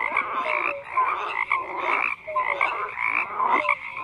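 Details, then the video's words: Loud frog chorus with rhythmic surges about every second, short clicky croaks and sharp tonal blips repeated over a constant buzzing wall of distant callers. "FROGS CROAKING"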